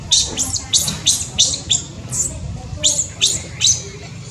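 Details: Tiny newborn monkey in Cambodia making brief high-pitched squeaks, uneven bursts of two or three notes separated by short pauses, against quiet low-frequency background noise.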